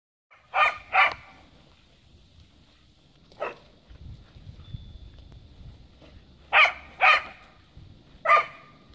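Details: Cardigan Welsh Corgi named Kaya barking while frapping and playing in the snow outdoors; sharp barks come in pairs and singles at about 0.6, 1, 3.4, 6.6, 7.1 and 8.3 seconds, with quiet gaps between them.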